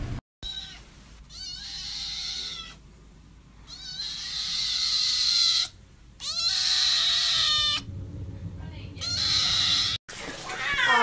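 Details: Pet cat talking with its owner: a series of long, drawn-out meows, some wavering and some rising at the end, separated by short pauses, with a faint steady hum underneath.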